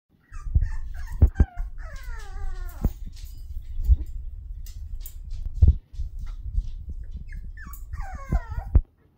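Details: Six-week-old Toy Poodle puppies, described as mad, give high thin whimpers and a long falling whine. Dull low thumps and bumps run underneath, and short quiet gaps separate the bursts.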